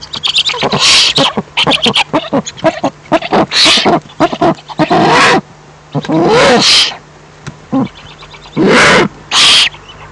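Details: Mice fighting, recorded 28 April 2015 at about 12:18 PM. Harsh, loud, distorted squeals erupt in rapid clusters and longer shrieking bursts lasting under a second, broken by short quiet gaps.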